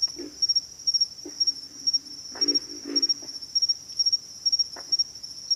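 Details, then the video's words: Several deep, raspy grunts from pig frogs, spaced irregularly with a paired cluster in the middle, while an unbroken high buzzing insect trill fills the background. "pig frogs - sound effect"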